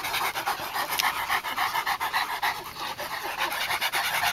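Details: Purebred Japanese Tosa Inu dog during mating, panting hard and fast: rapid breathy pulses, about three every second, steady throughout the short stretch.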